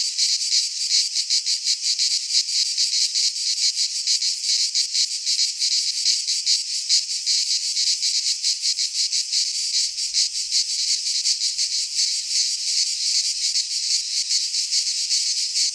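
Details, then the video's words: Cicadas in midsummer in a Greek pine forest give a constant high, grating buzz of fast throbbing pulses, a continuous insect chorus with a faint low rumble near the end. "Cicadas singing in midsummer - Nature sounds from the Greek fauna - Sounds of cicadas"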